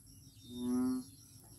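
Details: Frog at Daanbantayan, Cebu, giving a single low, harmonic, droning note that swells and fades over about half a second, with a faint steady high hiss behind it.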